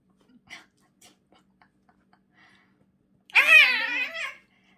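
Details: During tooth brushing, a pet cat gives a long, loud, wavering meow lasting about a second, rich in stacked harmonics, after a few faint taps and rustles in a small indoor room.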